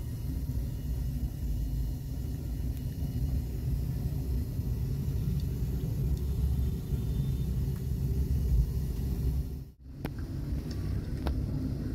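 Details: Steady outdoor low-frequency rumble, like vehicle or wind noise, with a brief dropout near the tenth second and no animal calls.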